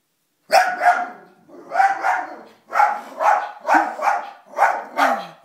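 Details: Pet dog Toby reacting to footage of himself playing on a television, giving a steady series of loud, harsh barks, some paired, roughly one every half second to a second for over five seconds, in a quiet room.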